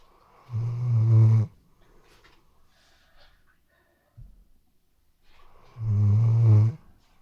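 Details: Snoring Weimaraner dog in deep sleep indoors, RODE NTG3B microphone: two long, low, rumbling snores about a second each, roughly five seconds apart, with a small click and faint breathing in the quiet gap.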